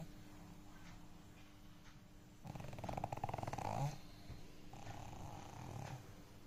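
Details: Pet dog snoring loudly while asleep indoors. A soft, rough, rumbling breath swells into a louder rattling snore in the middle, then a quieter one follows, over faint room hiss.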